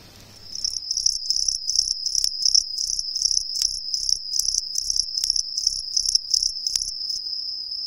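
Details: Green tree cricket singing in street trees in a residential area of Ehime, Japan, an introduced species: the sound starts abruptly, then a shrill high trill with regular pulsed chirps about twice per second.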